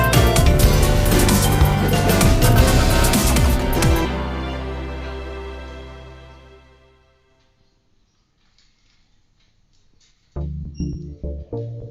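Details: Loud music fades to near silence, then music starts again, with no animal calls heard.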